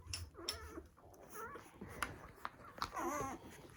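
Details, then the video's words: Poodle puppies on their first day of life squeak while nursing, with short wavering high cries rising and falling in a couple of bursts, and clicks and rustling between them. "Newborn poodle puppies nursing"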